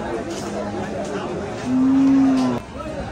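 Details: Cattle at the Saturday Paragram cattle market, the Hazratpur cattle haat, 2025: one steady, level, droning moo lasting about a second, rising above ongoing crowd chatter and men talking nearby.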